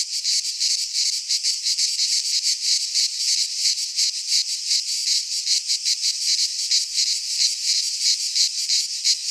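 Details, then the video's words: In a pine forest in Greece during midsummer, cicadas keep up an intense rasping high-pitched drone, throbbing in quick even pulses about three times a second. "Cicadas singing in midsummer"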